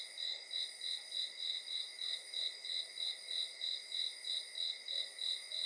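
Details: Cricket at night, a high, bright chirp pulsing about three times per second in an even rhythm over a steady shrill insect hum, no other sounds.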